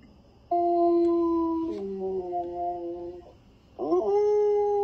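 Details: A Samoyed dog, reacting to the sound of wolves howling, howls in long, steady tones that sag in pitch, then breaks into a fresh rising howl.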